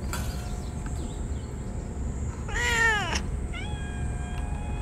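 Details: On a blazing summer day, sterilized, ear-tipped strays cry and rub together with delight when food arrives. One loud, strained meow sliding downward, then a higher, thinner level call, over constant low rumble.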